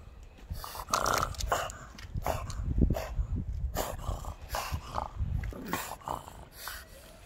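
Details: Pug; bark; guarding the backyard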